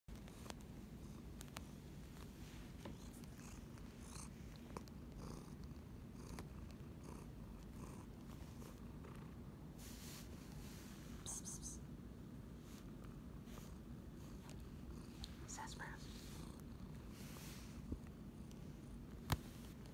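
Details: Domestic cat purring close up: a soft, steady low rumble that runs unbroken for twenty seconds, with a few faint clicks and rustles.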